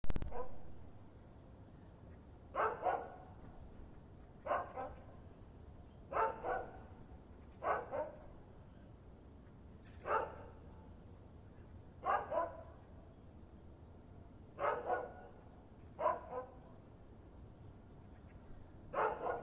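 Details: A dog, unseen, barking in short single or double woofs, about ten bursts spaced one to two seconds apart over a low steady background hum.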